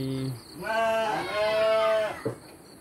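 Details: A single drawn-out, quavering bleat from a farm sheep being given dry feed, sliding slightly in pitch over about a second and a half, a brief voice heard before it.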